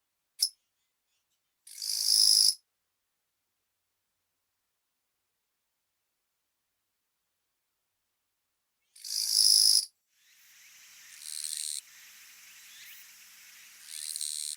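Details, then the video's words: Western Japanese katydid song made of two separate dry, rasping buzzes about seven seconds apart. Each buzz is under a second long. Weaker, rougher buzzing and scratchy noise follow later. "チョン ギース ニシキリギリスの鳴き声"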